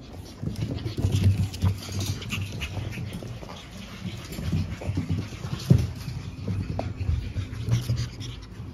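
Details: A litter of five pug puppies born April 17, soon going to new homes, snuffle and snort in low rough bursts, with quiet gaps and a sharper snort near the middle.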